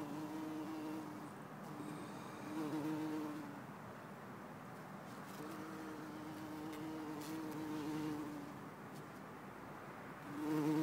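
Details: Bumblebee in Lisbon, 4 December 2011: a low droning buzz that rises and falls over several passes, with quieter gaps and faint background rumble between them.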